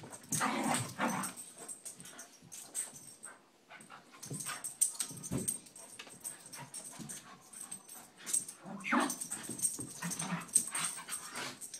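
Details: During a play-wrestle between two Scottish Terriers, McGee and Mackie, a strong growl opens, a steady stream of scuffling and panting follows, and another growling burst comes near the end.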